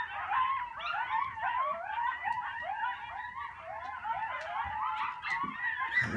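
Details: Several coyotes howling together at sunset on Sullivans Island, South Carolina: a dense chorus of overlapping high, wavering howls and yips that slide up and down, continuous throughout with no pause.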